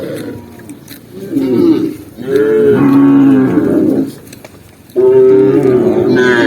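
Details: Tame cattle walking through a green forest path, three long, deep moos, each drawn out for about a second or more with steady harmonic tones, separated by quieter gaps.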